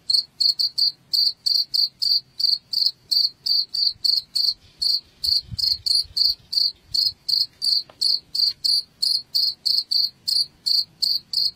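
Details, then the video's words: Chirping cricket, meant to scare rats out of a house: bright, high, evenly spaced pulses about three per second throughout, with a soft low thud near the middle. "SUARA JANGKRIK"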